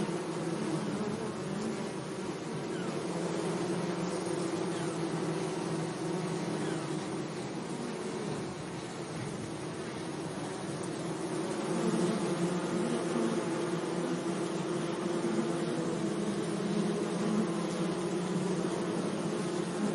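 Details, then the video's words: Bees gently buzzing among flowers in a sunny meadow, a layered humming drone that swells slightly in the second half as insects come closer, with wavering tones over soft hiss. "Relaxing Bee Sounds"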